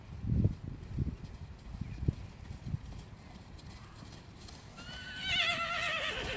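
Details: Friesian horse among a group of mares with their young foals: low thuds and knocks like hooves, then a loud quavering whinny rising in the final second and a half with wavering, shaky harmonics.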